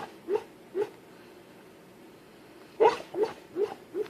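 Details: Asleep and dreaming, a dog lets out brief stifled whimpering woofs: two soft yips, a quiet gap of nearly two seconds, then four quick muffled bursts in a row, indoors with no other sounds.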